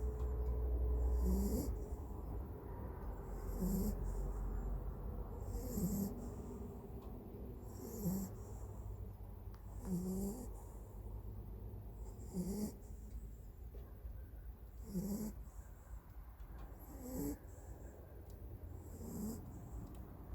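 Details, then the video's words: Rural dog fallen asleep during a nap after playing hard, snoring steadily: low, grating breaths repeating roughly every two seconds, about nine in all, with soft airy hiss between them. "댕댕이 코골이 낮잠"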